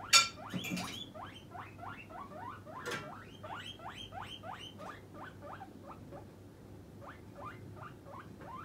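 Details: Guinea pig Puipui, kept as a pet, squealing to demand food before treat time: a dense series of quick rising whistled squeaks, opening with a loud clatter and a knock, then fading slightly, over a low mechanical hum.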